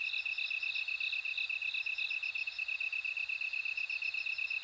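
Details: Short stretch of bell cricket song: bright, sharply pulsed high chirps repeat quickly and regularly, with softer pulsing trills just above.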